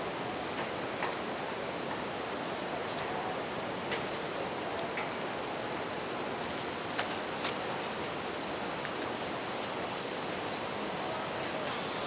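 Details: Bell cricket chorus near a campfire on a riverbank: sustained shrill ringing that never pauses, river rush underneath, and scattered snapping crackles from burning wood.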